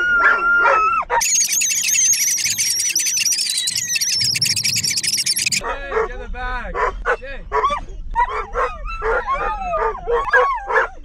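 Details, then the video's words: Dogs on a car ride to the park howl with excitement: a brief wavering whine opens, then a long shrill high-pitched squeal holds for several seconds before choppy yelps and looping howls return. "EXCITED Dogs in Car Can't Stop Howling For The Park"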